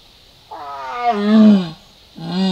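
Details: Jaguar (yaguareté) roaring toward the camera at Salto Encantado in the Cuña Pirú Valley: a long, hoarse, harmonic call that falls in pitch over about a second, then a second, shorter call begins after a brief pause.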